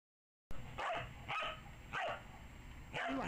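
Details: Samoyed named Ivy playing with an Easter Bunny toy she had been eyeing for days; four short, harsh barks, the first three about half a second apart, then a pause before a final rougher bark.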